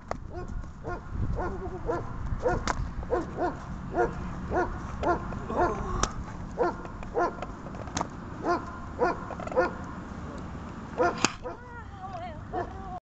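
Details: Dog named Fela during a training session on 28 March 2018; a string of short, high, yelping barks and whines repeated roughly twice a second, with sharp clicks and handling noises.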